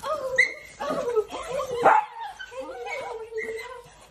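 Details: Dachshund puppies at play make high, wavering whines and squeaky yelps that rise and fall. The sounds overlap almost continuously, with a louder yelp near the middle.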